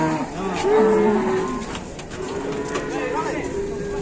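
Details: Cattle in a pen, a bull whose nose is torn and bleeding; a drawn-out low moo with a gently falling tone, over background music and other rustling sounds.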